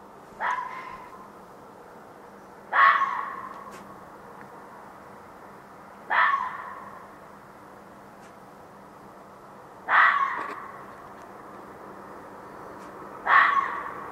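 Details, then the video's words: Fox in a back yard at night, around 1:15 am, giving five hoarse barking yelps spaced roughly three seconds apart, each sharp and short with a brief ringing tail, over a low steady hum. "Fox Calling"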